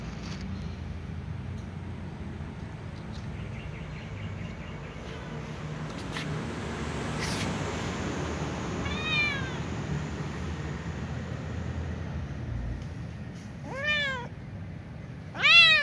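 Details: Little ginger cat near a catnip plant, meowing while avoiding food; a faint short meow mid-clip, then two louder harmonic meows near the end over steady low hum and background noise.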